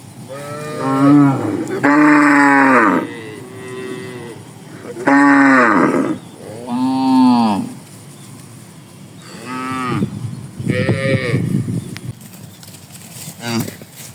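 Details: Tame cows grazing together in a wide green rice field in the morning, lowing softly and answering each other. Several strong, bending moos in the first half, then weaker, rougher calls overlapping near the end.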